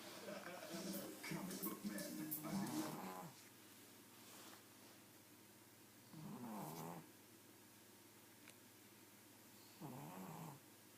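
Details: Pug snoring while asleep: a long rasping snore with harmonic buzz, then two shorter rattling snores several seconds apart, separated by quiet breathing in a still room.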